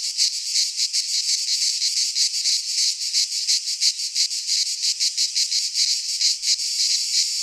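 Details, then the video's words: Midsummer chorus of cicadas in a pine forest in Greece, a loud unbroken shrill drone with quick rhythmic throbbing, roughly three pulses each second, steady throughout with nothing else audible. "Cicadas singing in midsummer - Nature sounds from the Greek fauna - Sounds of cicadas"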